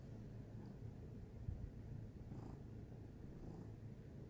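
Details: Steady purring from a domestic cat: a deep, vibrating drone that holds constant throughout, with a small thump partway through and faint soft rustling.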